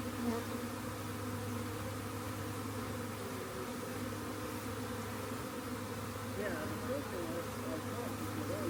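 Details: Honey bee swarm being collected, a thick steady buzzing drone under a low constant hum, with wavering higher tones swirling in during the last few seconds.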